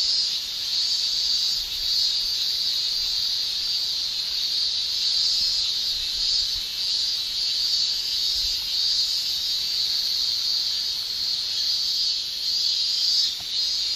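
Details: Shrill tymbal song of male cicadas during summer in Japan, a seamless high-pitched buzzing wall of sound, brightening in slight waves, with a faint low rumble beneath.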